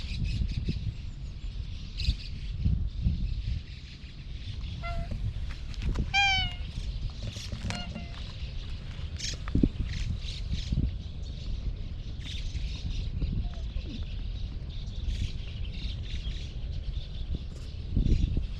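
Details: Slim orange-and-white cat outdoors, recorded on a GoPro HERO8: a few short harmonic meows cluster near the middle, a higher one sliding down, over steady low outdoor rumble and scattered rustling knocks.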